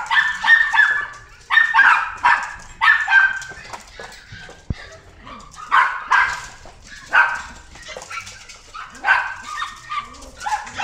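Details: Red-coated female Hokkaido dog born 26 February 2018, kept at a pet shop, barking in quick high yelps, often in pairs or runs of three, roughly every second or two with brief lulls.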